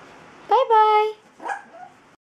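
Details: Playful puppy giving one long, high, steady yelp followed by a shorter, softer yip, with faint background noise.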